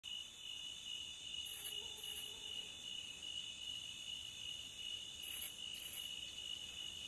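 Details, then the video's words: Crickets calling at the beach: a steady, unbroken high shrill trill holds throughout, with a second, higher chirp that sounds as paired bursts about half a second apart, returning every few seconds. Faint low hiss underneath. "Cricket Sound at the beach"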